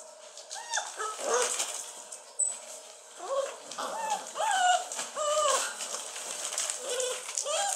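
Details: Basset Hound puppies at 43 days old whimpering repeatedly, with short high rising-and-falling whines overlapping one another, over a faint background hiss.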